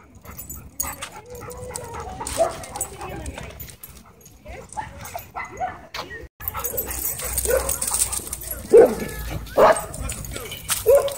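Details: Dogs at a dog park during a wild chase, giving short sharp barks that grow louder and more frequent in the second half, mixed with people talking and general park noise.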